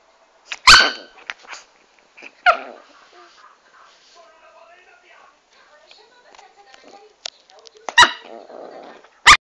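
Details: Chanel, a dwarf Pomeranian, gives four sharp, loud barks: two near the start, spaced about two seconds apart, then a pair near the end, with Italian speech murmuring between them.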